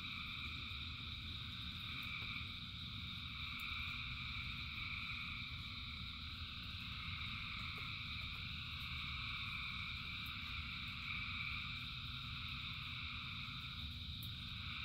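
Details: Rain-time singing of thousands of frogs: continuous shimmering trill bands rising and falling gently, with one upper layer pulsing in and out, above an even low rumble.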